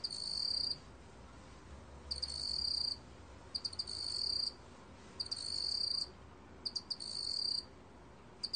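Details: Black field cricket (먹귀뚜라미) recorded by Korea's National Institute of Biological Resources: bursts of rapid, high-pitched trilled chirping, each lasting under a second, separated by short pauses, some preceded by quick clicks, over a quiet background.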